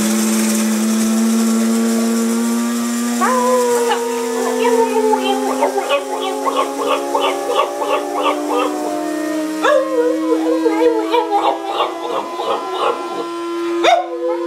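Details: A Boston Terrier howls in wavering, yodel-like rises and falls at the coffee maker, as he does every morning while the beans grind, over the steady whine of the grinder.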